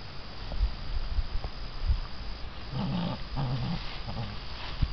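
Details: Six-week-old American Bandog Mastiff puppies tugging at a chicken on a string during a prey drive and holding power test; short low growls come in the middle of the clip over thumping and scuffling noise.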